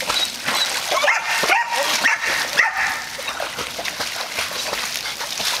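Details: A dog scared to be alone in a pool cries out in short whimpering yelps and yips, a cluster of rising tonal cries over the first three seconds, with steady splashing and sloshing water throughout.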